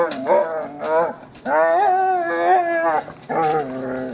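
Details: German Shepherd dog playing with a trolley, giving drawn-out, wavering whining howls in three long stretches, the middle one lasting about a second and a half, with a few short breaks between.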